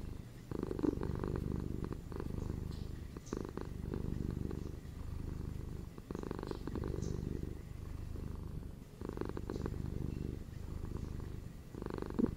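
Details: Deep, even purring from domestic house cats, a ginger male and a female, the rumble pulsing in long breath cycles with short dips between them, heavy in the low register.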